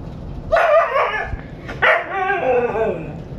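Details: A pet husky protests and fusses over a walk, giving two long, wavering, talkative howl-like vocalisations with rising and falling tone, a brief gap between them, indoors as its owner talks to it.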